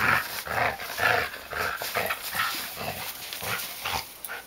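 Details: A male Samoyed out in the snow, tugging and playing with his leash while his humans relax in a hot tub; gruff, throaty growl bursts come roughly twice a second, uneven in rhythm, over a thin constant background hiss.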